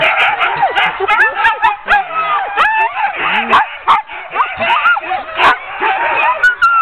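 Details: A ten-dog sled team being hooked up for a training run in October; a dense chorus of excited yips, whines and high howls overlapping continuously, with rising and falling pitched cries and sharp barks throughout.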